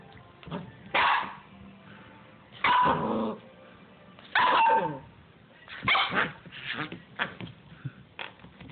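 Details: Eight-week-old Siberian Husky puppy giving a series of short, yappy barks and squeaky yelps, roughly one every one to two seconds, with quieter whines between them.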